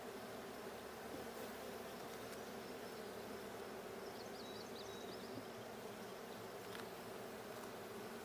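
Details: Steady, thick buzzing of honey bees in the blue hive during a check on 20 June 2022, with a brief cluster of faint, high bird twitters midway.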